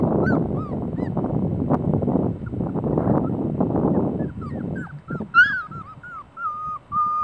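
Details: Litter of Celosia's puppies: loud rustling and scratching at first, with scattered squeaks, then clearer high-pitched whimpers and one drawn-out whine near the end.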